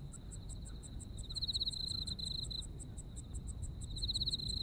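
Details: Japanese autumn insect voices: a continuous high-pitched trill with louder pulsing stretches in the middle and at the close, rapid regular clicks overhead, and a soft low rumble beneath.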